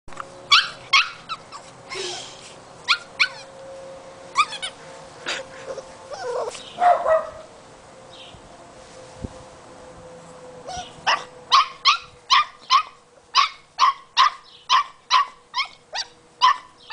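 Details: An 8-week-old female Boxer puppy, discovering a squeaky toy for the first time, barks at it with sharp, high-pitched yipping barks, first in quick bursts and then in a steady run.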